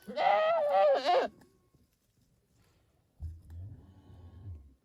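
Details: A domestic goat gives a loud, wavering bleat in two quick pulses, followed by a low murmur.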